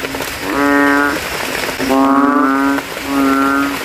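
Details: After rain at night, a banded bullfrog in a cemetery puddle swells its throat to call against rival males: three loud, droning, bass-heavy moans, each under a second long, separated by short pauses.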